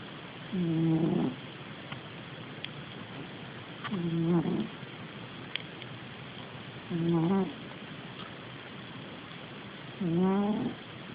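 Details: Sleeping domestic cat snoring, recorded on an Android phone: four low buzzy snores, each about half a second long with a grating harmonic texture, spaced roughly three seconds apart, over a steady quiet hiss.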